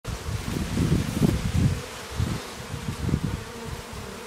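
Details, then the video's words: Worker honeybee returning home to the hive carrying pollen; low, droning wingbeat buzz in uneven pulsing bursts, swelling loudest near the first and third seconds, with a soft steady background hiss. "Honeybee return to home with pollen"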